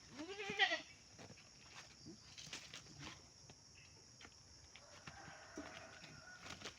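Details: A pet goat under treatment gives a single short, quavering bleat early on, then quiet rustling, scattered knocks and distant voices fill the rest.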